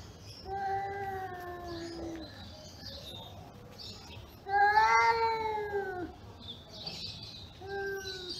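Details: Cats growling at each other in anger: a long falling moan, then a louder, strained yowl arching up and down, and a shorter moan at the end, with faint hiss-like noise behind.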